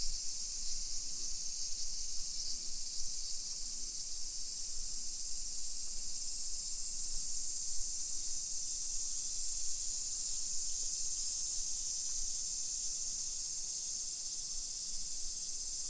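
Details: Midday summer chorus of cicadas, 1 PM on 28 July 2021, in a modern hillside neighborhood of Nisshin city, about 20 km from downtown Nagoya, Japan: dense high sizzling drone holding steady, with soft low street rumble beneath.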